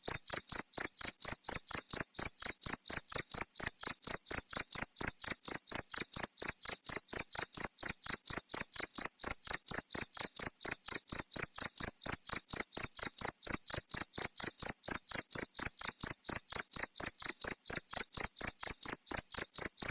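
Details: Continuous cricket chirps used to tutor pet songbirds, a high, ringing pulse repeated roughly twice per second in an unbroken regular rhythm, clean background.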